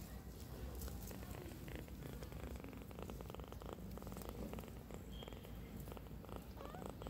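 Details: Tiny kitten giving a really loud, sweet purr: a steady low rumbling throb that runs unbroken from start to end, close up, with faint rustling behind it.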